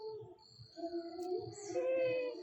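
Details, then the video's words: Chikku, a nine-month-old puppy born on August 15, cries after being left behind. He gives a low, wavering whine that slides upward near the middle and holds a steadier tone at the end, over a constant thin high-pitched background tone. "അച്ഛൻ എന്നെ കൂട്ടാതെ പോയീ ..Crying in different ways"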